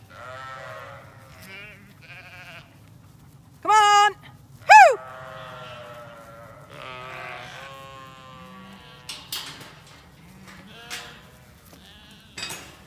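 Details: Shorn Zwartbles flock in County Kilkenny, Ireland, refusing to go where the farmer wants after shearing day, heading instead toward the orchard; scattered bleats, two loud close harsh ones near the middle, over a steady low hum and occasional clicks.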